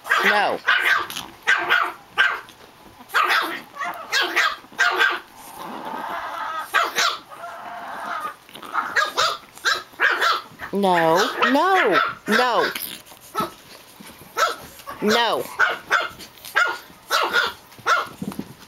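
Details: Playing Japanese Chin puppies give rapid sharp yips and barks throughout, broken by wavering, whining yelps past halfway and again later, while a woman's voice scolds them to slow down.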